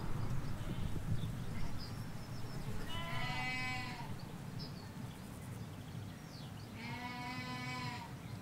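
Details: Ewes and lambs in a field in the Hampshire countryside, recorded from halfway along a hedge: two quavering, harmonic bleats about four seconds apart over a steady low rumble of distant road noise.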